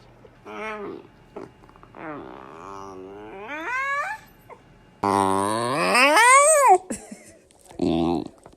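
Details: Yawning corgi puppy making several squeaky, whining yawns: short rising and falling vocal sweeps, then one long loud yawn that climbs in pitch and drops away, followed by a brief squeak.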